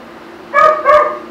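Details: Poodle puppy during its first real haircut giving two quick, bright barks half a second apart over a steady low hum.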